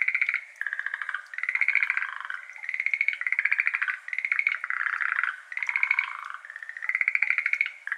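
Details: Dense evening chorus of Schlegel's green tree frogs, a Japanese endemic, in a flooded iris garden on 17 May 2022 at 6:53 pm, captured binaurally: loud, continuous rattling trills of rapid pulses from several frogs overlapping almost without pause.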